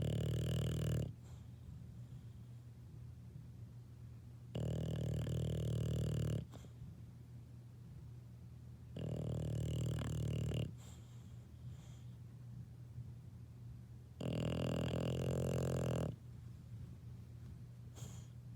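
An English Bulldog puppy snores in deep, rattling bursts about every four to five seconds.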